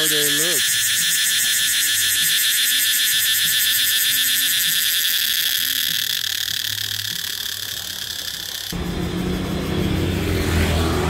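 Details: Cicadas in trees in Bangkok, near the American ambassador's house, fill the air with a loud, steady, high buzzing drone that pulses rapidly throughout, with a man's voice and low traffic rumble beneath.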